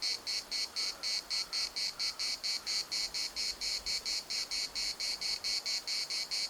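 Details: Larnaca municipal park cicadas, Cyprus, producing a high, grating pulsed buzz about twice per second, with a few faint short bird calls early on.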